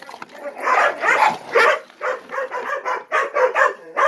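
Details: Ten-month-old Gollie puppies waiting to be served breakfast while adult dogs look on; dense, overlapping high yips and whimpers tumble over one another almost without pause.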